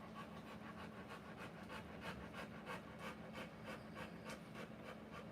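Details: Panting of a Rottweiler in labour, giving birth to puppies: fast, regular breathy puffs, about three per second, steady and hissing across the whole stretch, no other sounds standing out.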